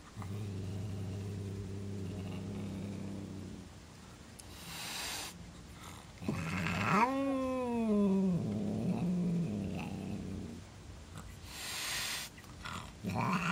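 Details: Female house cat that suddenly turned on her brother cat after two years of peace, hissing and growling at him: a long low rumbling growl, breathy hisses, then a drawn-out wavering yowl that rises and falls, with soft household noise.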